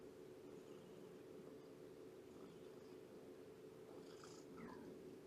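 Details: Shelby, an abandoned mother cat about two years old, in foster care through Purrfect Pals with her kittens, morning visit on 2017-09-19; a steady low purring rumble runs throughout, broken near the end by one short, falling mew.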